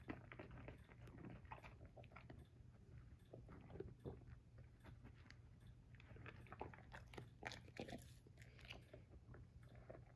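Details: Busy crunching and snapping as Vincent the Basset Hound eats romaine lettuce, with many short bites close together and a few louder crunches, over a low continuous hum.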